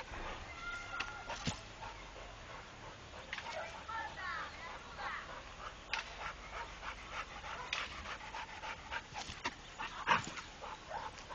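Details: Trained Pit Bull named Rako panting in quick, breathy bursts, with people talking over much of the recording and a few sharp knocks.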